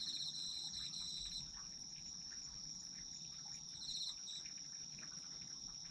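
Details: Autumn insect chorus meant for sleep listening, a constant high shimmering trill overlaid by short bursts of quick pulsed chirps near the start and again around four seconds.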